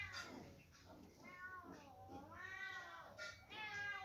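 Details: Two kittens give drawn-out, wavering meows that slide up and down in pitch, running almost continuously over a low background hum.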